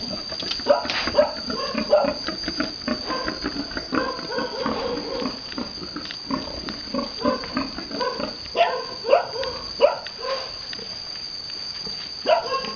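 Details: Pigs on a Vietnamese farm during the mating of a boar with a virgin sow: busy, irregular grunts and short squeals fill the clip, with a steady high electrical whine throughout.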